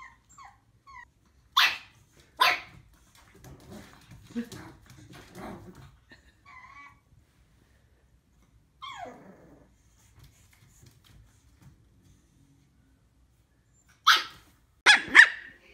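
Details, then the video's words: Puppies barking: loud sharp yaps early and again at the end, between them softer grunting growls and brief high whimpers, long quiet gaps in the middle. "Los mejores LADRIDOS de PERROS CACHORROS"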